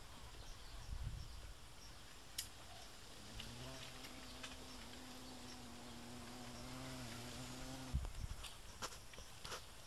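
A bumblebee's low, humming buzz holds a steady pitch for about five seconds, rich in overtones, before stopping suddenly. Faint outdoor background noise and a few soft clicks surround it.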